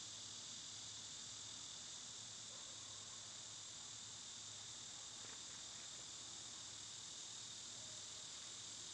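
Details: Cicada chorus in summer, recorded on a day the loud insects were quietest: an unbroken high-pitched whirring drone, overlaid midway by a few faint short chirps and scratchy notes.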